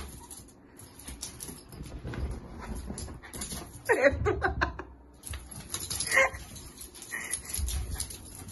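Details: Small female Jack Russell Terrier, playing and running happily; two short whimpering yips rise out of rustling and thumping play noise, one near the middle and another a couple of seconds later.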